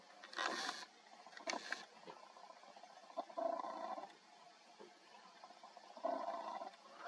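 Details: Wild boar herd at dusk, in darkness, give a few rough, droning grunt-squeals, each about a second long, between two sharp rustling bursts; background otherwise quiet.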